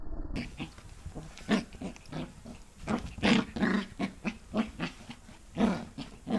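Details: Pembroke Welsh Corgi puppy tussling with a human hand during play, recorded 8 November 2014; short throaty growls and grunts burst out irregularly, several per second, some louder rasping peaks, with faint rustling between them.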